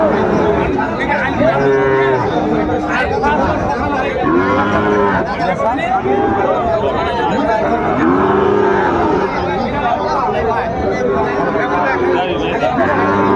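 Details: At the Ambari cattle market, Sahiwal bull calves around six months old are haggled over. Repeated arched, hoarse moos sound every few seconds, layered with loud bargaining voices and general crowd chatter.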